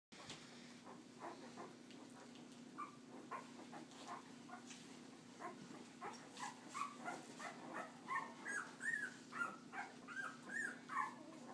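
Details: Puppies, the babies of a dog named Leia, during walking time; soft high whines start faint and grow into a run of short arched squeals near the end, over a steady low hum.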